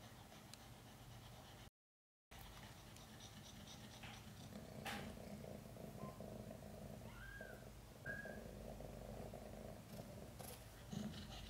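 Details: Chan, a domestic mother cat, during a hard labor delivering five kittens; a steady low purr continues under the clip, broken by a brief gap, with a couple of thin, short, high rising-falling squeaks and rustling.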